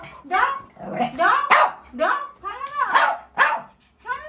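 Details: Shih Tzu playing with a toy, yapping in a quick run of short, high barks that rise and fall sharply, about six within four seconds, with brief gaps between them.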